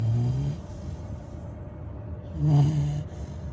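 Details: A sleeping female Labrador Retriever puppy just over 100 days old snores in low, rumbling breaths, one at the start and another near the end.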